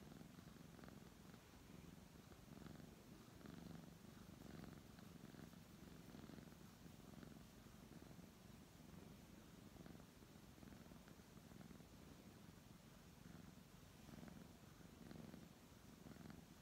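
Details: Long stretch of contented purring by a brown tabby cat under a man's stroking hand: a soft, deep, vibrating drone with gentle rhythmic swells every second or two, steady from start to finish.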